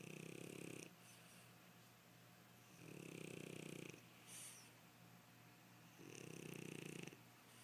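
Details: Sleeping French Bulldog lying on a person's leg, snoring in loud, raspy, nasal inhalations that last about a second each, roughly three over eight seconds, with a soft snort between and a low constant hum.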